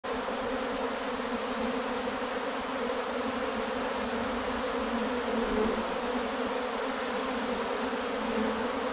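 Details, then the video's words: Swarm of Carpathian honey bees emerging on 8 May 2020, a dense steady droning hum with layered low tones holding evenly throughout, no pauses or other sounds standing out. "8,5 2020 vyšiel roj. Karpatské včely."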